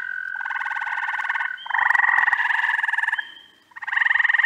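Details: Early June frog chorus from upstate New York, where spring and summer species overlap. Dense rattling trills stack in overlapping bouts, with a thin higher whistle-like tone between them and a short lull before trilling resumes.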